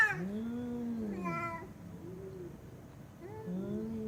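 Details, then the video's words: Pet cat giving funny sounds: a drawn-out arched meow, a brief sharper cry, then softer rising meows after a short pause, indoors with little background noise. "Funny Sounds Cats Make"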